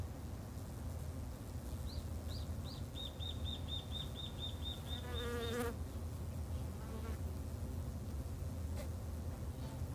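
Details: Garden-kept Japanese honey bees drone in a low, steady hum while a bird sings a quick series of about ten evenly repeated high chirps, followed by a short trilled phrase.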